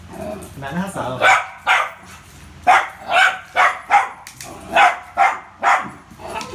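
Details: Poodle named Rio playing with a ball, giving a run of about nine sharp, bright barks in quick, uneven succession after a brief human voice at the start.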